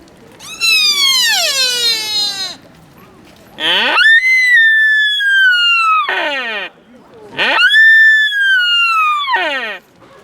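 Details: Deer calling at Nara Park, Japan: three loud, long, high-pitched harmonic calls about two seconds each, the first sliding downward, the later two held steady before dropping slightly at the end, separated by brief quiet gaps.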